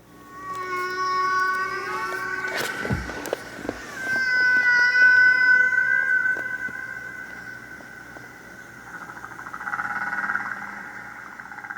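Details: Humpback whale song from the classic recording by Frank Watlington and Roger Payne, heard by listeners in the early 1970s and credited with sparking worldwide whale conservation. Long drawn, wavering tonal moans and rising whistled cries, rich in overtones, with a deep groan midway.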